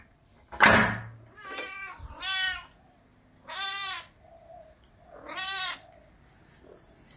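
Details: Hungry Russian Blue cat giving four drawn-out, wavering meows about one and a half seconds apart, each rising then falling, preceded by a sharp clatter; indoor quiet otherwise.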